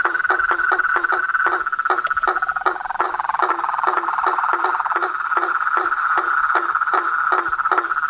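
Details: Frogs calling in nature: a dense chorus of short knocking pulses, about four per second, layered over a steady ringing trill and a high constant insect drone.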